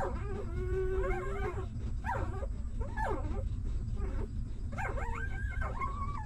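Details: Hungry newborn puppy of a stray dog, nursing: a long, level, nasal whine followed by sharply rising and falling squealing whimpers, several in a row, over constant low-pitched background rumble.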